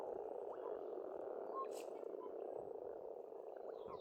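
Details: Pond frogs in Estonia during spring, a constant dense croaking drone without pause, with a few faint high bird calls breaking through.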